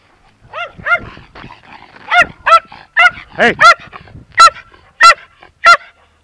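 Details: Terrier giving loud, shrill barks in quick succession, some doubled, about one and a half per second, with a person's voice briefly in the background.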